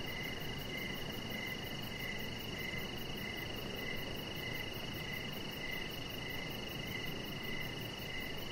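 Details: Outdoor evening crickets by a deck: a rhythmic string of short chirps, about one every second or less, together with an unbroken very high buzzing trill, set against dense low background hiss.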